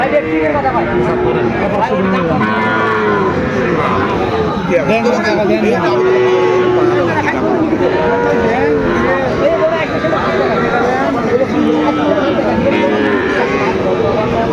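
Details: Sahiwal bull calves for sale at Aftabganj market, Dinajpur, Bangladesh, early September 2025. Softer, wavering lowing calls drift through constant voices of buyers and sellers haggling nearby.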